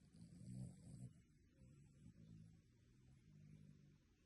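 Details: Sleeping dog snoring in a way said to sound like a human: soft, low rumbling breaths rising and fading in three slow cycles, each lasting about a second, with faint background hiss.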